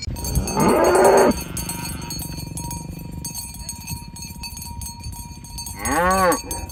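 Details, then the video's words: Morning on a village road as a herd of tame cows is driven to the pen: a rough, noisy moo near the start, cowbells clinking throughout, then a second clearer, arching moo near the end. "Suara Sapi Moo"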